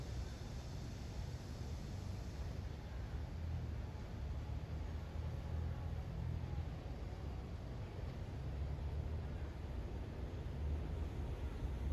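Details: Steady broadband hiss over a heavy low rumble, like a passing vehicle or engine, with no animal calls standing out.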